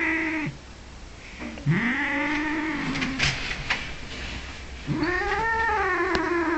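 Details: Angry 15-year-old male cat in Norway, held by people, giving long drawn-out growling yowls that rise, hold steady and sag, two main wails separated by a short pause, with faint human voices around.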